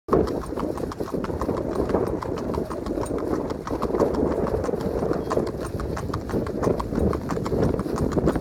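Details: Four-year-old red roan Tennessee Walking Horse gelding, 16.2 hands, being ridden; steady rapid hoof clops in an even gait over a continuous broad background rumble.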